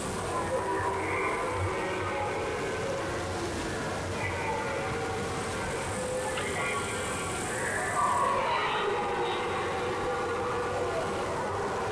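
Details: Music and voices play over a steady rumble of vehicle or train noise. No animal calls stand out.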